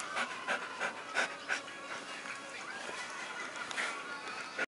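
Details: Pet Siberian Husky indoors making affection noises while happy, usually during an ear massage; soft rhythmic panting breaths, about three per second, with brief faint whining tones.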